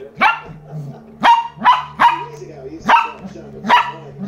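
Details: Young Lhasa Apso barking at its new toy: five loud, shrill yaps spaced under a second apart, separated by softer whimpering sounds and a steady low hum.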